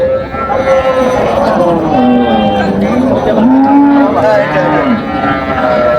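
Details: Dairy cow with calf at Raniganj market, Dinajpur, 27/7/25: a wavering, drawn-out moo that dips and rises in pitch over several seconds, overlapping with buyers and sellers talking nearby.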